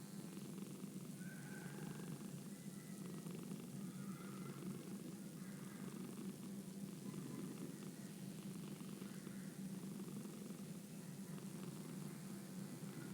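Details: Steady, quiet purring from a domestic cat, a low even rumble lasting throughout, with faint higher tones drifting in the background.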